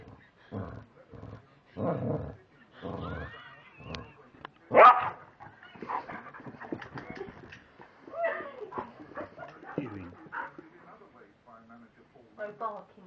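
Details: At 7pm each evening a male English Springer Spaniel barks and 'talks' while asking for his dinner: bursts of low woofs and grumbles, one loud bark midway, and yelping, whiny notes mixed with human speech.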